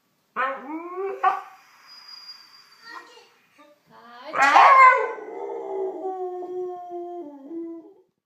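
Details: Siberian Husky reacting to a sneeze indoors: two short yelping howl notes open, then a sudden harsh burst is followed by a long, steady, slightly falling howl that trails off, with voices in the room.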